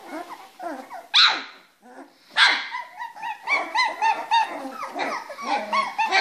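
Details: Three-week-old Springer Spaniel puppies from one litter playing together in their box: scattered harmonic whines and squeaks with a couple of sharper yelps, building into overlapping high squeals toward the end.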